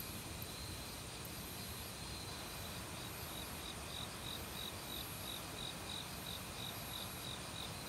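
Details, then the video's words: Forest cricket in autumn, recorded without professional equipment. After about three seconds of only stream noise, short high pulses begin and repeat regularly to the end, set against continuous rushing water from a nearby valley creek. "가을 귀뚜라미 소리"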